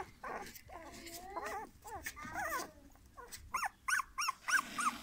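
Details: Golden English Cocker Spaniel puppies give high, wavering whines followed by a run of short, arched yelps.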